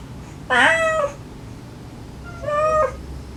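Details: Gentle calls of a stray mother cat to her kittens, who reply affectionately: two drawn-out, bending meows roughly two seconds apart against a soft background hum.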